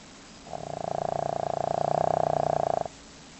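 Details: One long buzzing snore, rapidly pulsing and growing louder, lasting about two and a half seconds, from Leo, a pet dog fast asleep and snoring loudly.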